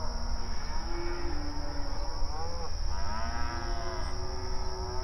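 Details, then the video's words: Cattle on open range pasture, grazing and calling to each other: a low flat moo, then a louder sliding moo with strong harmonics near the three-second mark, other animals answering softly, with low rumble and a steady high tone beneath. "Outdoor Pasture Cattle Grazing Sounds"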